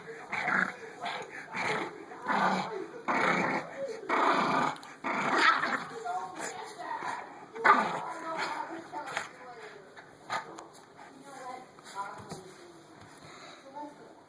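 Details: Six-week-old dark chocolate tri English Bulldog puppy at play, giving rough growls, yips and whimpering squeals in uneven bursts, loudest early on and fading later, with human voices talking over the puppy throughout.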